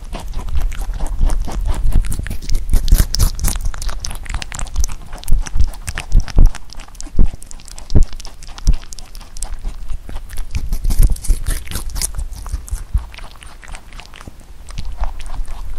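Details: Huchu, a pet rabbit, munches Korean melon. A steady stream of close, sharp crunches and bites, some louder snaps standing out, with faint mouth noises in the gaps. No other sounds.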